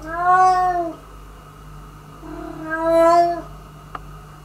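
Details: A former stray cat that steals food from the resident cat, indoors: two drawn-out, harmonic meows, the first about a second long and the second arching slightly, with a soft click near the end.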